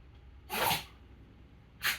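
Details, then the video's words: Mameshiba dog named Taro in a run of sneezes: one full, hissing sneeze followed a second later by a shorter, sharper one, with a quiet room behind. "豆柴タロの日々 氷舐めたり箸で食べたりくしゃみ連発したり"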